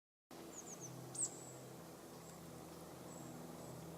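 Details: Garden bumblebee (Bombus hortorum) working everlasting sweet pea flowers (Lathyrus latifolius): a low, steady droning hum that wavers slightly in pitch. Faint high bird chirps come in near the start.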